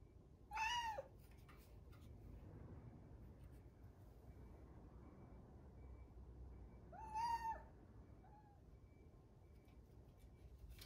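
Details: Rucola, a one-year-old rescued grey-tabby-and-white domestic cat, calling for attention at an owner shut away in a separate room, no background music: two clear arched, harmonic-rich meows about six seconds apart, then a short softer chirp, over a quiet indoor hum.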